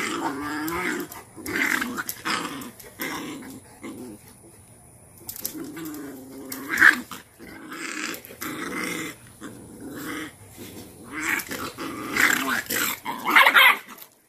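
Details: A Cane Corso mother growls while disciplining her dominant female puppy and pinning her into submission. Wavering low growls come in long drawn bursts with pauses, joined by scattered sharper, higher noises.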